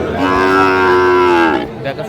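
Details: Sahiwal bull calf at a busy cattle market in Kurigram, Bangladesh; one steady, tonal moo of about one and a half seconds, flat then dropping at the end, with faint voices behind.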